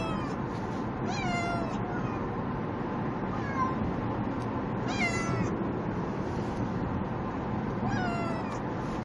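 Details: Two pet cats are in transit to the vet and call out pleadingly before their rabies shots. Several long, quavering meows come at irregular intervals over a constant low vehicle drone.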